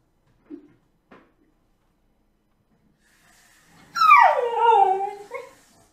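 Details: A male blue whippet, indoors, whines to ask for food and walks: after two faint taps, a loud, high, drawn-out whine slides steeply downward over about a second, then ends with a short, softer whimper.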